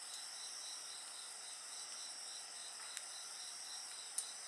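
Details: Insect voices mix with bonfire sounds. Layered high, ringing trills carry on without pause, with a rapid pulsing chirp beneath them. Two sharp crackling pops from the fire stand out near the end.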